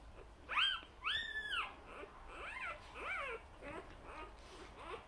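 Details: Newborn Vizsla puppies less than a day old, indoors with their mother, give high, arching whines and squeaks, several overlapping in quick irregular succession.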